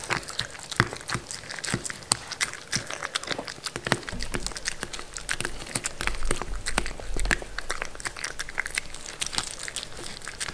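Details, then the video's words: Mindy, a pet Shetland Sheepdog (Sheltie), eating food indoors: a steady run of sharp crunching and clicking bites, irregular and fast, with soft rustling between chews. "Dog Eating food (Shetland Sheepdog)"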